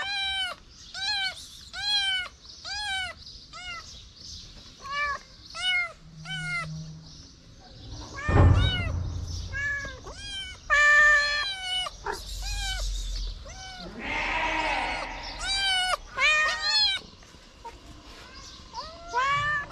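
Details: Homeless street kitten licking fingers while upright on its hind legs, meowing in a fast run of short rising-falling cries, some drawn out, with a single dull thump midway and a burst of rustling noise.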